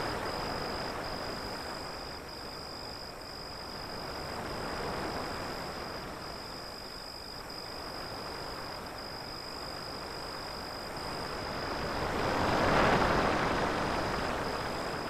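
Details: A steady high-pitched cricket trill runs unbroken throughout, partly buried under the constant roar of breaking waves, which surge louder near the end.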